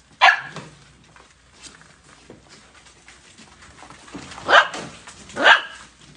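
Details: Golden Retriever puppies: three short, sharp high barks, one at the start and two close together near the end, separated by quiet with faint background rustle.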